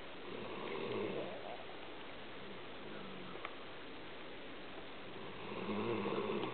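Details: Tired pet dog asleep while being held in bed, snoring steadily: a rough, breathy rumble repeating in a quick, even rhythm and swelling louder near the start and end, with no other clear sounds in a quiet room.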